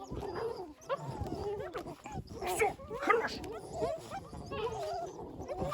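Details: Twelve 7-week-old Belgian Malinois puppies, woken from dozing, react to a played recording of rival husky puppies whining with thin, wavering, high-pitched whines, nasal squeals and short yips while people talk over them.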